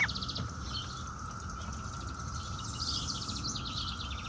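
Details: Periodical cicadas (17-year brood) hold a steady, droning hum while cockatiels, being readied for a walk in their stroller, chirp over the top.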